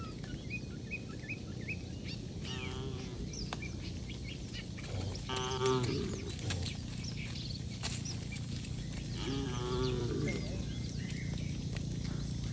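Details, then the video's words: Tame cattle walking along a road, heading home to their shed with the herder through quiet countryside; three separate drawn-out lowing moos spaced a few seconds apart, with twittering birds and steady outdoor background noise. "Suara Sapi Moo"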